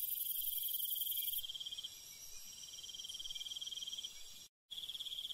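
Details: Night insect chorus in the countryside with cricket trills: a very high buzzing fades out early, then mid-pitched pulsed trills continue until a sudden brief silence, after which the trilling resumes.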